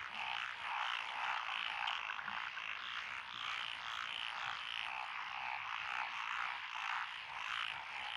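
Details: Frog chorus in lotus rice paddies along a country lane in Echizen, Fukui, Japan, 12 June 2021, from several frog species including tree frogs and pond frogs. Unbroken, pulsing wall of croaking with slight rises and falls in loudness.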